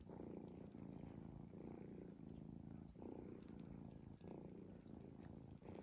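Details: Low continuous rumble from a sleeping cat, snoring in even cycles of roughly one to one and a half seconds, each breath marked by a short dip, with small ticking sounds overhead.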